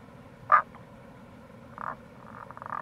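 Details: April recording of wild Tago's brown frog near the Kamo River gorge in Itoshima, Fukuoka, Japan: a sharp single croak, then two quieter bursts of rapid pulsed notes, against low flowing-water noise.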